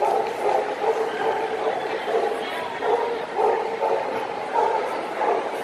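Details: Working-class and champion male Ibizan Hounds at the Stockholm Swedish Winner show, 18 December 2009. Ringing, harmonic barks repeat steadily about every half second over a noisy indoor crowd.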